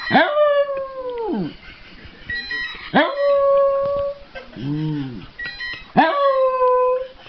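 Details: Dog howling at a ringing phone: three long, loud, falling howls about every three seconds, rich and harmonic, with a softer lower wavering tone between the second and third.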